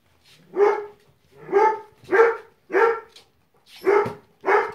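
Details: Five-week-old Flat-coated Retriever puppies eating venison for the first time: six short, rough, harmonic barks, roughly one per second with small gaps, fairly loud and close, with no other clear sounds.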